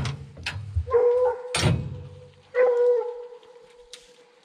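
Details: Young Redbone Coonhound on a 2020 coon hunt (the pack: Hades, a male in his second season, and Copeland's Redhot Maple, a female in her first): two drawn-out, mid-pitched bawling bays with rich harmonics, and short rustles and knocks between them.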